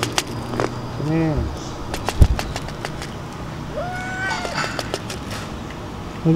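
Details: Stray cats, excited as food is brought to the dining table, meowing: a short arched meow, then a longer, level, slightly rising drawn-out meow, with Indonesian speech, clicks and steady traffic rumble behind.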